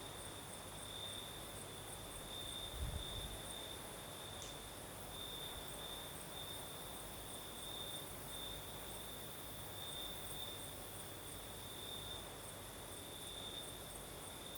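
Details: Crickets trilling at night in southern Crimea, a continuous high, slightly pulsing tone. Breeze noise runs underneath, broken by a brief low thump and a short sharp click.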